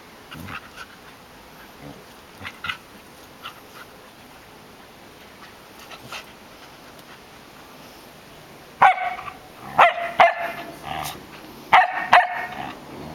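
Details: Dogs at play: a three-year-old female Samoyed romping with an 11-week-old Sheltie puppy. Soft scuffles and faint yips give way to a burst of sharp, loud barks in quick clusters toward the end.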